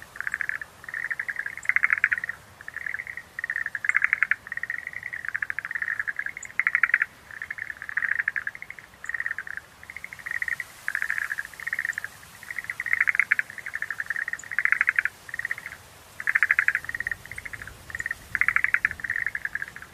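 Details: Dense chorus of Schlegel's green tree frogs, Rhacophorus schlegelii, with continuous rapid clicking pulse bursts repeating every second or so, overlapping callers, and occasional faint high chirps above.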